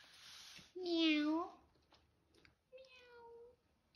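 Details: A kitten's first meow indoors: one strong, arching mew followed after a pause by a softer, flatter, fading mew, with a person's quiet voice nearby.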